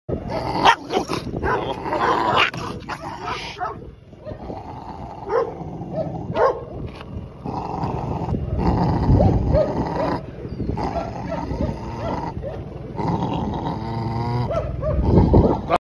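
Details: Three-month-old Belgian Malinois puppy in Türkiye, playing excitedly, barking and growling in quick rough bursts with scuffling noises between them.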